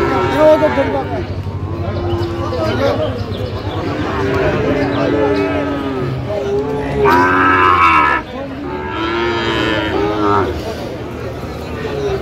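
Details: Sahiwal bull calves bought by a farmer in Rangpur on 5 December: several drawn-out, harmonic moos rise and fall amid a busy crowd of talking people, with a louder, brighter call near the seventh second.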